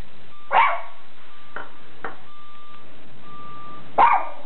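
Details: Guarding the house, the Schipperke Captain Jack Sparrow lets out two separate sharp barks about three and a half seconds apart, with faint thuds and a thin steady tone between them.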